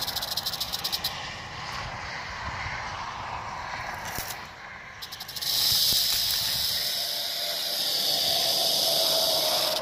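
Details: Rattlesnake, 1 July 2018: a quieter stuttering, pulsed rattle at first, then a sudden shift to a louder, steady hissing buzz that continues to the end.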